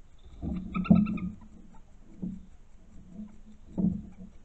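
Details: European badger cub recorded by a trail camera on 16 June 2021: a brief whining, harmonic-rich call is followed by low, throaty grunting bursts returning roughly every one and a half seconds against quiet background.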